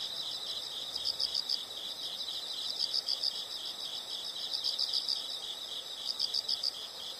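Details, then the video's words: Insect chorus outdoors: an unbroken shrill buzz with regular bursts of several quick, sharper chirps, spaced about one and a half seconds apart. "the sound of insects"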